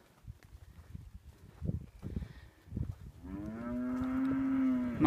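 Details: A Hereford bellows in a sale lot of four heifers and 18 steers, about 348 kilos each. Muffled thumps and brief voices come first, then a long, even moo swells for almost two seconds before a sharp rise at the close.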